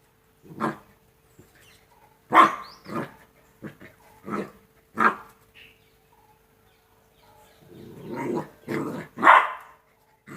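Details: Two-month-old Rottweiler puppies playing: scattered short yips and barks, then a burst of growling and louder barks near the end.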